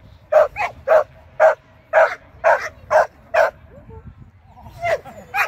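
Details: Shetland Sheepdog at AKC training, 24 April 2023, giving a series of loud, clipped barks about every half second, followed by a brief human voice and a few softer yips near the end.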